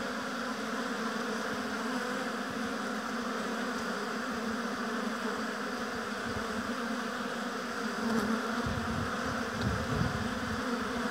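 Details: A mass of honey bees humming at their hive in a beekeeping apiary, a continuous low drone of many wings. It swells briefly as individual bees fly close past the microphone near the eighth second.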